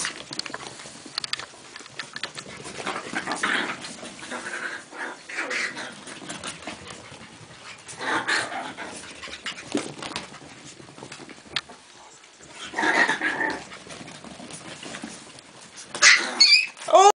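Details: Chihuahua puppies playing, heard as bursts of panting, soft growls and whimpers amid scuffling movement, with quieter gaps and a louder flurry of sharp noises near the end.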